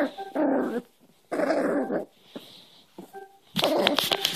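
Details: Young Cairn Terrier play-fighting during hand wrestling; two harsh growl bursts, a pause, then a sharper noisy yap-like burst at the end.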